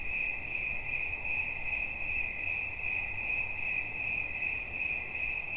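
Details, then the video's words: Persistent cricket chirps, a sharp high ringing note pulsing quickly and evenly throughout, over faint low background noise. "Świerszcz. Dźwięki relaksacyjne"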